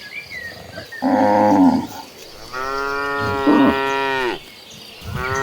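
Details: Moos of a cattle herd running toward green pastures: a short moo, then a long, steady harmonic moo near two seconds, and the start of another at the end.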